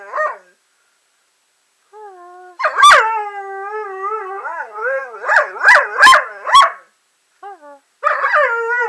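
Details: Indoor German Shorthaired Pointer vocalizing in a "talking" manner, as though saying I love you: wavering, howl-like whines rising and falling in pitch, broken by sharp yelping accents, in phrases with short silent gaps between them.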